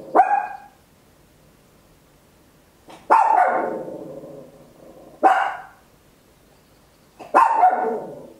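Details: {'caption': 'Loud barking from a small Papillon dog at home, captured with an Olympus LS-11: four abrupt, ringing barks spaced roughly two to three seconds apart, each fading quickly into a quiet room.'}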